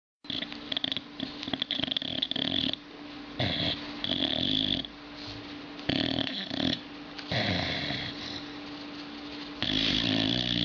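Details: Dog asleep and snoring indoors: rough, breathy bursts repeated roughly every second or so, with raspy wheezing edges and a steady low hum in the background.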